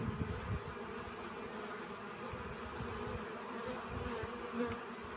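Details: Pollen-gathering honey bees give a continuous, fairly quiet buzzing drone with a faint higher hum above it, against diffuse background noise and a few soft knocks.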